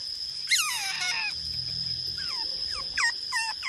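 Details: Small-clawed otters in the mangroves on a morning, wanting mullet for breakfast: a burst of high squeaky chirps, then several short calls that slide downward, over a steady high-pitched background whine.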